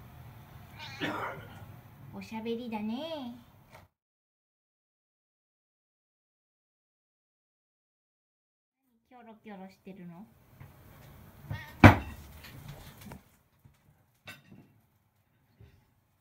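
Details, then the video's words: Siamese cat kept as a pet, talking with its owner indoors: drawn-out wavering meows near the start, then a run of short rising chirps around the middle, with a sharp knock and the owner's voice between. "Talking Cat, CoCo Part 3 おしゃべり猫 ココちゃん その３"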